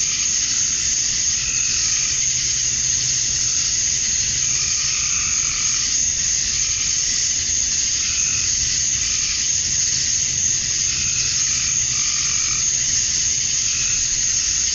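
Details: At dusk on a summer night in Georgia, USA, male cicadas chirp for females; a steady, piercing high whine runs without pause, with intermittent mid-pitched pulsing phrases from other night callers.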